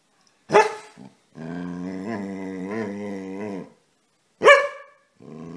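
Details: Casy the dog, playing and wanting to be petted, gives a sharp bark, then a long, wavering growly grumble, another sharp bark and the start of a further grumble.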